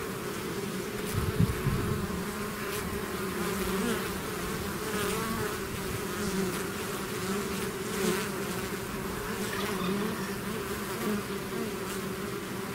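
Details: A bee swarm streaming out of its hive produces a continuous droning hum, rich low tones with intermittent closer buzzes rising and fading.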